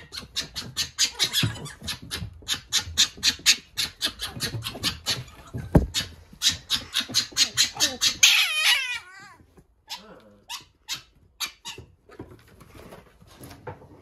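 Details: Little fox caged with a wild fox on its first day, giving a fast run of rasping chatter pulses, then wavering high whines, and finally sparse softer yips.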